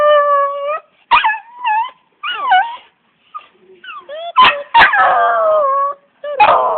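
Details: Pet dog singing, giving drawn-out wavering howls broken by short yips and sharp clap-like bursts, with pauses between phrases.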